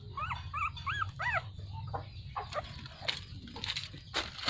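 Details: Relaxing puppies give four short, arched, whining whimpers in quick succession at the start. Soft rustling and clicking noises follow over a low steady hum.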